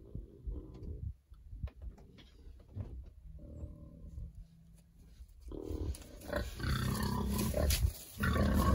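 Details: Berkshire pigs treated for external parasites ahead of winter, happily rolling around: scattered low grunts and short squeals, building into a long, loud, rasping squeal in the final seconds.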